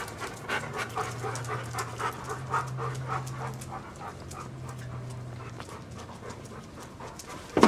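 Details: Dog panting in a household with big dogs: Siberian Husky Nami, golden mutt Duke and spotted three-legged Duchess. Quick breathy puffs come in an even rhythm, about two to three per second, over a low steady hum, with a sharp knock at the end.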